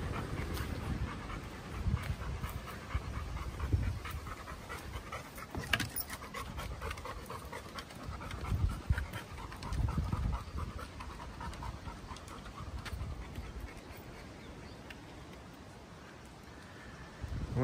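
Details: Bear, a chocolate Labrador Retriever, breathing hard on a Sunday morning walk outdoors: rapid, irregular breathy panting sustained throughout, with some low rumbling wind and footstep noise.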